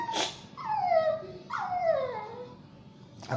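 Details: Shih Tzu and Yorkshire Terrier mix dog whimpering while being bathed: two long high whines, each sliding downward in pitch with bright harmonics, bracketed by short sharp noises.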